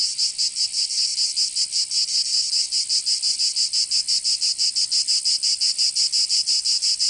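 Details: Summer cicada song from Provence in the south of France, a shrill continuous buzz broken into quick regular pulses, several per second, forming an unbroken wall of high insect sound.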